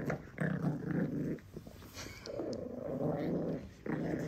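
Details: A Pekingese puppy growls in low, rumbling bursts with brief pauses while guarding its beloved monkey doll during play; Pekingese.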